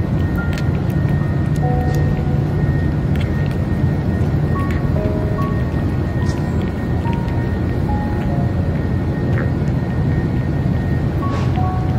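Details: Simple melodic music plays over a constant low rumble like passing traffic or aircraft, with no animal calls.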